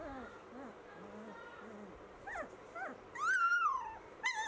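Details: Labrador Retriever puppies whimpering and yelping: soft low murmurs at first, then short rising squeals and one longer high whine that arches and falls, ending with a sharp yip.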